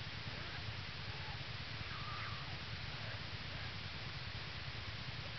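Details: Yearling American black bear Hope purring on top of her mother Lily in the den early on Jan 22 2011, a day after Lily bore two cubs, North American Bear Center, Ely, Minnesota. A steady low rapid throb sits under a constant hiss.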